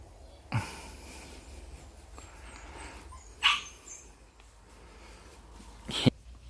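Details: Jindo dog at home, kept apart from other dogs while a companion recovers after leaving hospital; three short, sharp, loud barks spaced roughly three seconds apart over a quiet indoor background.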